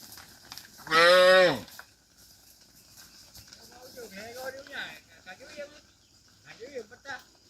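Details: Dozens of tame cattle herded back to their farm pen; one strong, high, strained moo rising then falling, followed by quieter wavering bleat-like calls from other animals.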